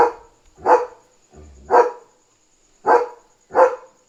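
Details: Leo, a German Shepherd barking at night to signal a dog outside the house; four sharp, loud barks spaced unevenly over four seconds, with a faint low sound between them.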